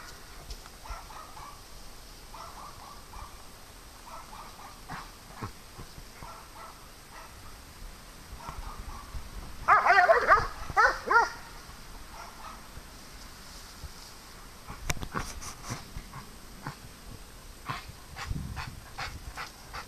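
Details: Farm dogs playing: a burst of several quick, harsh barks packed into about a second and a half midway through. Quiet, steady tonal calls sound faintly before it, and sharp clicks and knocks follow.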